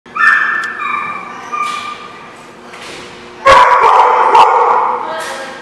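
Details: Dog barking and yelping, recorded 17 June 2016: a run of high, harmonic yips in the first second, a quieter whine, then a loud burst of sharp barks after a pause.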